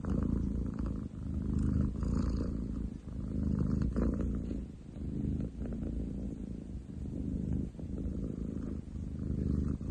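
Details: Male long-legged munchkin Ten chan purrs on 30/07/2023 with a deep rattling rumble that rises and falls in slow breath cycles, about thirty per minute, with slight handling noise.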